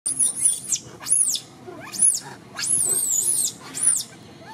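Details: Little orphan monkey Martin sobbing and crying to call for Malida, another monkey. Shrill, very high whistled cries arch up and down in a series of about six short bursts, each falling away at its end, over a faint low background hiss.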